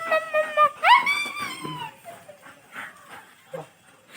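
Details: Female German Shepherd puppy at home, whining: a brief steady tone, then a sharp, rising, harmonic-rich whimper that slides slowly downward, followed by soft shuffling and a few faint, quieter whines.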